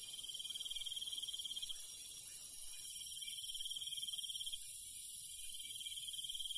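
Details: Crickets at night in the countryside trill steadily in high-pitched pulsing chirps, with a shrill insect hum above.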